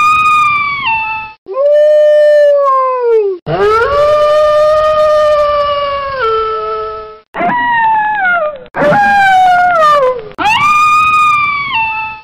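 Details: A gray wolf (Canis lupus) gives a run of long, smooth howls that rise, hold steady, then slide down at the end.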